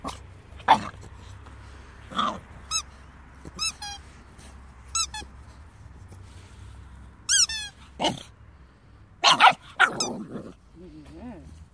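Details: Two-month-old Staffordshire Bull Terrier puppy giving scattered sharp barks and growls between thin squeaky whines, one quick falling string of yelps, ending in a low groaning whimper.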